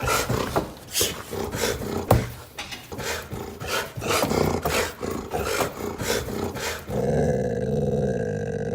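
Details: A female dog aggressively sneeze-barks at turkeys, giving a run of huffy, sneezing barks and low growls, several each second, with her tail stuck in a cardboard castle window; a steady droning hum takes over near the end.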